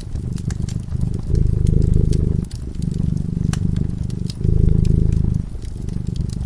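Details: Fireside cat asleep and purring. The deep, buzzing rumble rises and falls in regular breathing cycles, each lasting roughly one to one and a half seconds, while the fire crackles and pops in the background.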